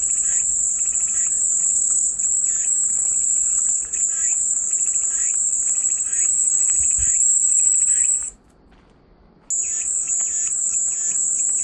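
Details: Cicada singing as relaxing white noise: a steady shrill high-pitched buzz that cuts off abruptly after eight seconds, falls silent for about a second, then resumes, with faint bird twitters behind.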